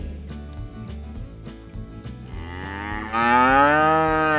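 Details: Cattle at a livestock fair and auction where bulls, cows and calves are traded; a single long, loud harmonic moo rises then slowly falls in the second half, over continuous background music with a steady beat.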